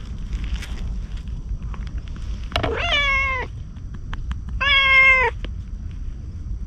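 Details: Stray ginger tabby approaching a man outdoors as if seeking protection: two clear, harmonic meows, the first bending downward, the second steadier and louder, over a constant low outdoor rumble.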